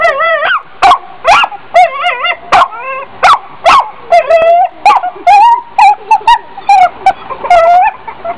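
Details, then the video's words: Dog giving a rapid run of barks mixed with wavering, whiny yips and short whimper-like notes, the bursts coming roughly twice a second with no other clear sounds. "Funny Dog Barking"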